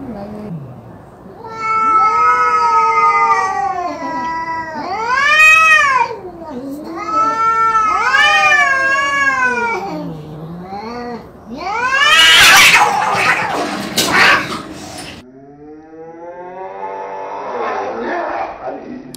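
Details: Domestic cat producing a run of loud arching meows, several rising then falling, some short and some drawn out, followed by a harsh noisy burst and a fainter trailing meow.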